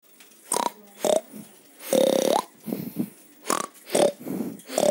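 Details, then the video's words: Domestic pig giving a run of short, harsh grunts and nasal squeals, about eight separate bursts in five seconds, with one longer buzzy squeal near the middle that rises in pitch at its end; indoor-sounding, no other animals heard. "pig sound"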